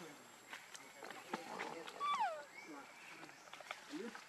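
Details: Hungry baby monkey Leo begging its mother for milk gives a sharp squeal that drops steeply in pitch, followed by a softer rising whine, with scattered clicks and a constant high insect hum behind.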